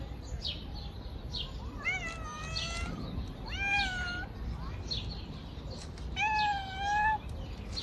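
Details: Stray cats being fed on a river bank: three drawn-out, harmonic meows, the first two rising then sliding down, the last held and slightly wavering, with steady bird chirping and low outdoor rumble behind.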